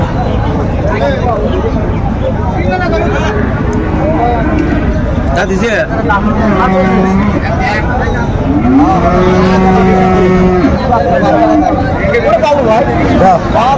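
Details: Sahiwal bull at a cattle market in Chittagong, Bangladesh, in January 2025; a low, drawn-out moo swells and holds for about two seconds amid steady crowd chatter, bargaining voices and engine noise.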